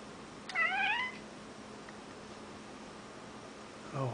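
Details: A male house cat in a dark room makes his odd noise at something he sees, perhaps shadows on the ceiling: a single wavering, trilled chirp rich in harmonics, about half a second long, then quiet before a person starts speaking.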